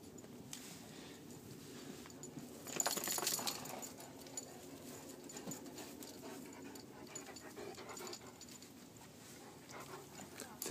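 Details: Kira, a Great Dane, playing with Cico the Cane Corso at a horse camp: rapid, uneven panting breaths with scuffling, and a louder broadband burst of movement near three seconds.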